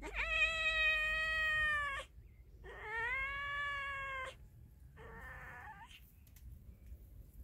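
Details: Male cat mating with a pregnant female cat: two sustained wailing meows of about two seconds each, then a shorter, rougher, lower call, all strongly harmonic and close to the recorder.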